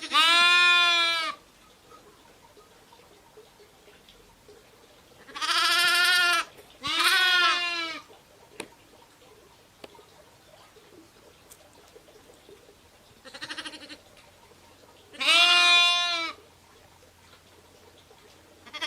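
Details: Bleating from sheep, ewes and lambs, comes in short bursts: a loud wavering call, a close pair of bleats around six to eight seconds, a fainter distant one, then another strong bleat, with quiet pauses between.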